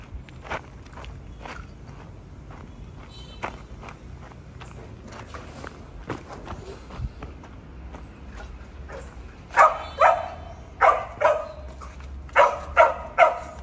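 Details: Border Collie during search and rescue training, giving a run of loud, sharp barks in the last few seconds, in pairs and short bursts, after a stretch of footsteps and quiet outdoor background.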